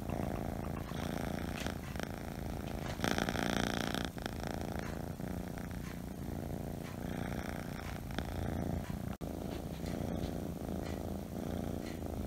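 A Scottish Fold kitten purrs steadily, a low continuous rumble that pulses with each breath.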